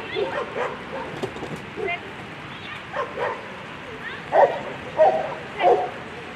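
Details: German Shepherd at a World Championship agility event, Sunday A3 run: three sharp, high barks about half a second apart near the end, over steady crowd murmur and talking.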